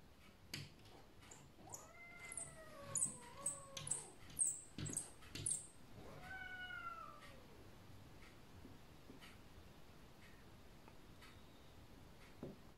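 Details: Sphynx cat visiting at the window of another cat, Maymay, who looks unhappy; its meowing sounds scary. Two long, drawn-out wavering meows, the first rising then dipping and falling, the second a single arch, among sharp tapping and scratching clicks.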